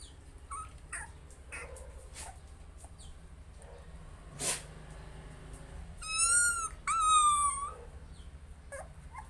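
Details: Fearful puppy trying to get past its fright: scattered faint squeaks, then two clear, drawn-out high whines near the end, each wavering and dipping slightly in pitch, over a low background hum.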